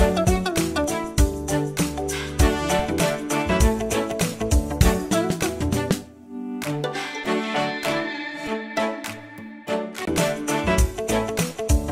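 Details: Upbeat instrumental music with bowed strings and brass plays throughout, with a brief pause near the middle; no animal voices are heard.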